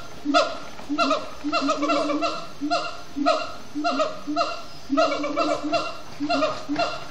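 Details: Siamangs chanting at dusk in Disney's Animal Kingdom, loud barking hoots repeated in clustered runs, each note bending downward, with overlapping callers building into denser bursts.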